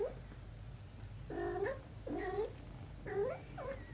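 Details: A mother cat holds and cleans her kitten daughter while four plaintive meows sound in quick succession, each bending up then down, over a constant low indoor hum.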